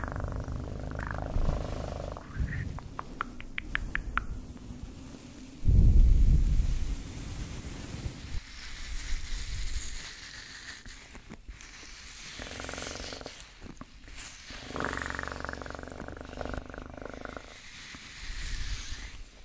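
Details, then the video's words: Low cat purring under intermittent rustling, tapping and handling noises, with one loud burst near the middle and a gentler rumble afterward. "1 Hour Of Best PURRING sounds"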